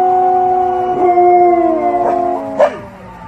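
A German Shepherd howls in long, steady tones that slowly drop in pitch, answering a siren.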